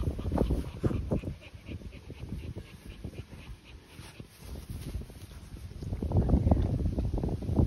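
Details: Continental Bulldogs Rita, 10 months old, and her newly arrived brother Sumo, 2 months old: rapid, breathy low panting in quick irregular bursts, louder near the start and toward the end, with some handling noise.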